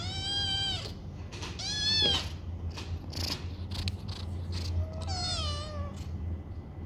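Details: Foster kittens romping in a banana-shaped cat bed; two loud, quavering meows open the sequence, then scuffles and thumps, and a final falling meow drops in pitch, all over a low humming background.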